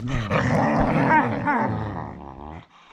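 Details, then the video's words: Whippets playing bitey face, making odd, funny growling sounds: a continuous rough, throaty grumble with wavering, voice-like rising and falling tones over about two and a half seconds, then fading out. "Whippet Bitey Face with Complimentary Chewbaccan Odd sounds"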